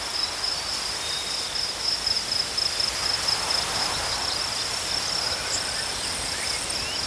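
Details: Rapid, bright cricket chirps pulsing in quick runs, about four per second, holding one high pitch, accompanied by a faint higher insect buzz toward the end and gentle natural background noise.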